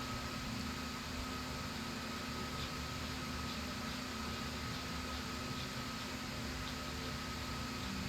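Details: Constant broadband hiss like an air conditioner or fan fills the whole stretch, with a faint steady tone and nothing else.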